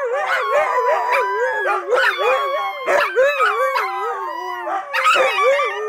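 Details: Pack of AKC Siberian huskies singing together; loud, sustained wavering howls from several dogs layered at different pitches, swelling and dipping in loose rhythm.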